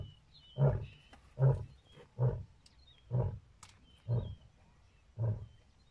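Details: Lion closing a roar with six deep, grunting bursts spaced roughly a second apart, each short and punchy; thin high whistled bird notes sound faintly in the background.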